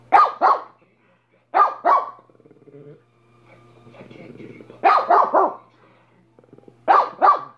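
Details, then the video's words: Minnie, a dog, barking in bursts of two quick sharp barks repeated every two to three seconds, with a soft low growling rumble between the bursts. "Minnie barking for 5 minutes"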